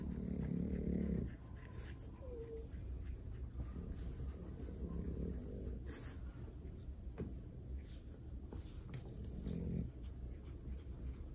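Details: French Bulldog getting a belly rub, giving low, rough grunting snorts in a burst at the start and again near the end, with soft rubbing and scratching of fur filling the quiet stretch between.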